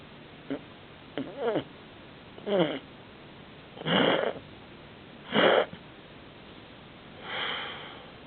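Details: Sleeping Canadian Sphynx cat snoring very loudly indoors: breathy, rasping bursts about every one to two seconds, some short and some longer and swelling, with quiet gaps between breaths.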